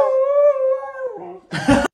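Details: Pomsky dog howling in imitation of its owners: a sustained tonal howl near steady pitch for about a second, gently falling at the end, followed by a short noisy burst.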